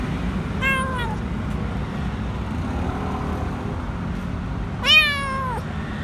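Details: Lone, dirty stray kitten hiding under a food truck at a grocery store, crying for food: two high, falling harmonic meows, a short one then a longer, louder one near the end, over steady low traffic and engine rumble.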